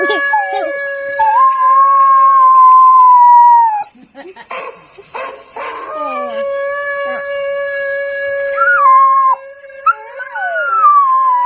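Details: Little Bangkaew-cross puppy howling during a lesson: a long sustained howl slowly falling in pitch, a pause with short yelps and breathy noises, then more wavering howls over a constant steady tone.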